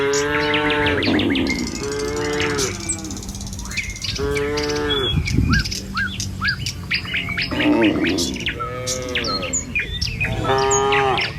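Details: Several calls from a herd of tame village cattle heading along the road to their pen one morning: drawn-out, resonant moos spaced a couple of seconds apart, backed by busy chirping and tweeting birds.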